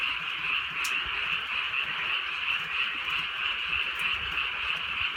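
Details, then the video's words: Frogs calling at night in the countryside during a light drizzle: a dense, unbroken chorus of rapid, high, trilling croaks forms a steady band, with faint rain patter and a couple of brief clicks. "개구리 소리"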